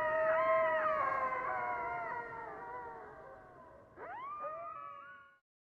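A coyote sings several overlapping, wavering howls that hold steady and slowly fall. After a short pause comes a sharp upward-swooping cry that levels off and fades.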